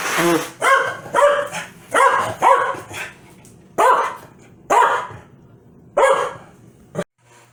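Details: Angry Corgi Foxy, riled by its owner sneezing, lets out eight loud harmonic barks at an uneven pace, some paired closely, others separated by a second or more, ending in silence.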